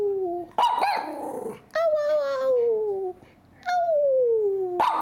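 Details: A Miniature Schnauzer, asked to "sing" while "talking" to its owner, gives long, drawn-out howling whines that slide steadily downward, with brief sharp yips between; Miniature Schnauzer.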